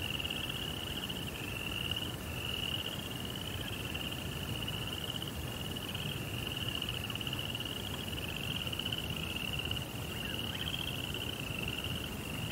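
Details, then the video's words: Crickets calling at night in a Japanese Zen garden: a continuous chain of high, finely pulsed chirps with slight pitch dips between bursts, set over faint low background noise. "Cricket Sounds"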